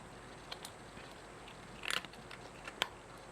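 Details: Cat chewing its food in a small quiet room; a brief cluster of crisp crunches, then a single sharp click about a second later.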